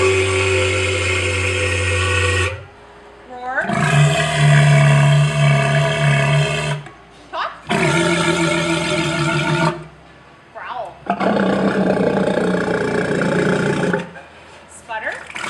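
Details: Male walrus (Odobenus rosmarus) mating call, serenading females while floating: loud, low roaring and grunting calls in long bursts as part of courtship display; males also click teeth, whistle and make bell noises; walruses mate once a year.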